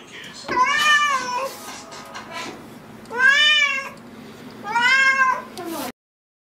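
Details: Pet cat giving three drawn-out meows, the first wavering and the later two arching up then down, with a low steady hum underneath and a sudden cutoff at the end.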